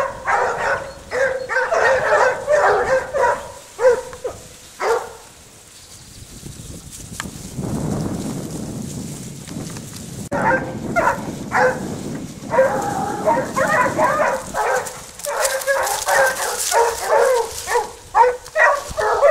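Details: Pack of Basset Hounds, French kennel Rallye de l'Allagnon, working a scent trail: bouts of rapid overlapping barks and bays, a quieter spell of rustling movement midway, then the baying chorus resumes strongly.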